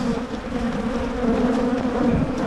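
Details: Colony of honey bees humming during spring hive splits in Michigan aimed at preventing swarming; an even, droning buzz holding steady low bands, with no other sounds standing out.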